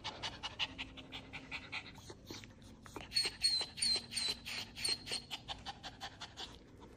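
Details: Dubu, a ten-year-old Maltese, at a Chungmuro veterinary hospital on the third visit after surgery for a ruptured right cranial cruciate ligament, pants in quick, breathy, hissing bursts, nearly three per second, with a faint high whine over them.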